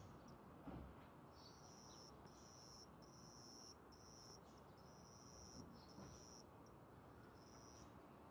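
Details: Juvenile cricket indoors, raising its wings to sing, a sound said to accompany territory fights: high-pitched trilled bursts repeating roughly every second with brief silences, faint room noise and a few soft clicks.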